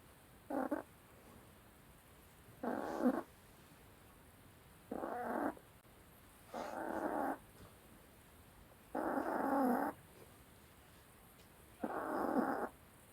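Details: Sleeping dog snoring loudly. Each rough, rumbling breath is a separate burst about every two seconds, with quiet pauses between. Six snores are heard, and the background is quiet.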